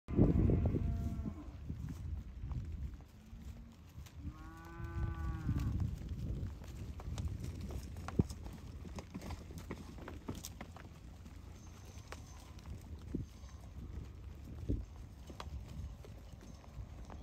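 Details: One of twelve Hereford and Angus-Hereford cross heifers lets out a short harmonic moo near five seconds, over steady low rumbling and shuffling noise, with a faint brief low call just before.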